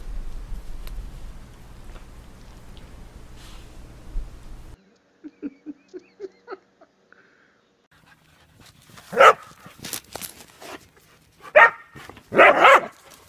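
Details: Whippet indoors: after low rumbling, a string of short, high, evenly spaced whimpering notes, then a pause and several loud, sharp barks in quick bursts near the end.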